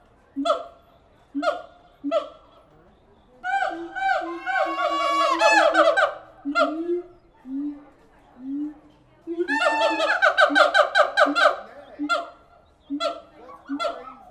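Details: At the Tulsa Zoo, siamang apes alternate single loud barking hoots with two fast accelerating runs of high, rising, overlapping whoops. Quieter low moans come between the runs.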